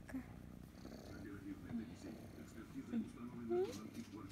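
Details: Female kitten Kryska purring while being stroked, a soft low rumbling purr running throughout, with a woman's affectionate Russian voice speaking over it.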